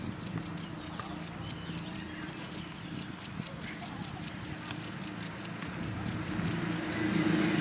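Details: A cricket in the grass sends out runs of piercing, evenly spaced chirps, pausing briefly twice before continuing, with a soft low hum behind.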